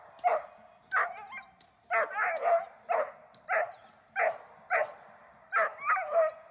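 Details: German Shepherd named Dornan in protection training, barking in loud, harsh, sharp bursts. About a dozen barks come at a steady clip, some in quick doubled pairs, against an otherwise quiet background.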